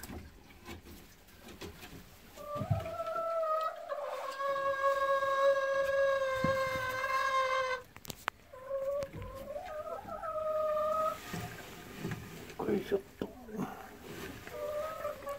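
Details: Morning walk with Golden Retrievers Kohaku and Ibu, playing in a field under a persimmon tree; a long steady nasal whine held for several seconds, flanked by shorter rising and falling whimpers, with footsteps and rustling.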